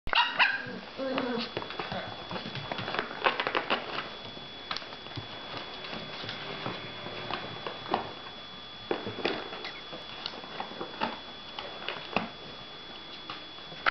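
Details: Ten-week-old male Cavalier King Charles Spaniel puppies play rowdily in a dog bed, giving short high yips and squeaky barks in scattered bursts.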